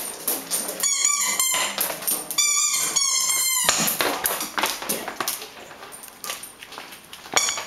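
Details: Greater Swiss Mountain Dog playing with a ball, giving a run of high, tonal whines in two short bursts, each a series of rising-falling squeaky notes, followed by rustling and scuffling noise.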